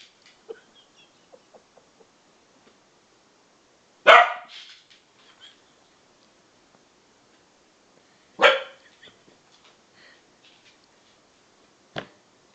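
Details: Two young Bedlington Terriers, aged 7 and 10 months, playing together as best buddies; two sharp, loud barks about four seconds apart, near silence between, then a brief click near the end.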